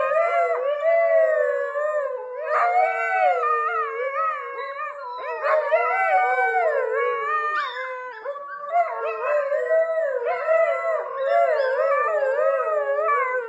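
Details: Adult Siberian Huskies, father and mother, howl with their 6-week-old pups as the pups learn. Layered, sustained howls bend and glide, with new voices joining at intervals. A chorus of several dogs continues throughout.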